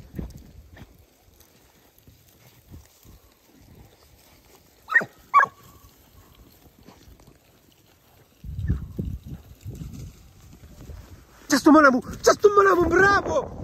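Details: Segugio Italiano hounds, puppies aged 8 and 17 months together with their father Geko: two short, sharp yelps early on, then rustling, and finally a loud, wavering, strongly harmonic baying howl with rising and falling pitch.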